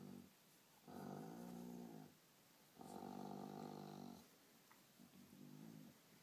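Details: Indoor dog defending his toy, torn between guarding it and being scratched; two sustained low, engine-like growls of over a second each, then a softer, broken rumble.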